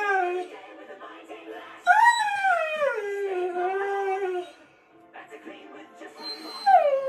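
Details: A husky hums a cute "song" in long, wavering, sing-song howls that swoop up and then slide slowly down, as if asking how the family is.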